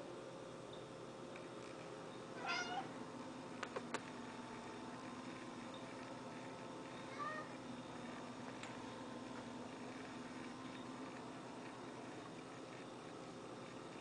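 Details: Indoors, an orange and white cat begs for a treat while another cat gets medicine wrapped in a pill pocket; one clear wavering meow, a fainter later mew, and a few sharp clicks in a quiet room.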